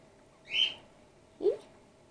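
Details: Grey-headed flying-fox pup in care, a young female named Gwickle being support fed after her mother was concussed; two short squeaky calls, one high and chirping, one lower and rising.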